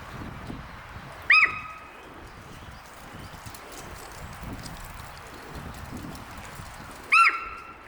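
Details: Warning cries from Amanda, a 15-year-old captive female Hokkaido sika deer at Maruyama Zoo, Sapporo, calling loudly for about ten minutes, 20 April 2026: two sharp, shrill, arched squeals nearly six seconds apart, quiet ambience between.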